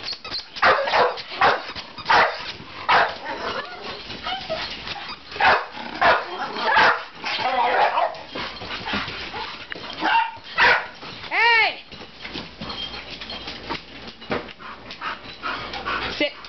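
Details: Several pet dogs excited by a small hand-held squeaker: sharp, irregular barks in short bursts, with one high, wavering squeak midway and a person's voice telling them to calm down.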